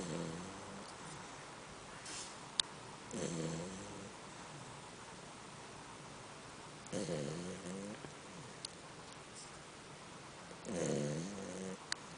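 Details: A female Labrador Retriever snoring while asleep: slow, rumbling breaths, each one a low, rasping wheeze.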